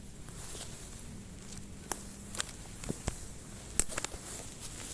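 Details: Footsteps and rustling outdoors, with scattered sharp clicks over a low rumble and no animal voice.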